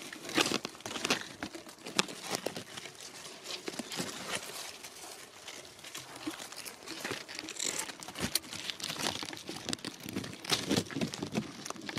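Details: Only crinkling and rustling handling noise is heard, with no animal voice.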